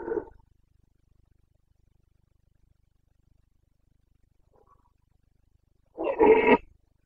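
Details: A Carpathian stag in the Bucovina breeding season ends one hoarse bellow, falls silent for several seconds, then delivers another rough, forceful roar with grating overtones.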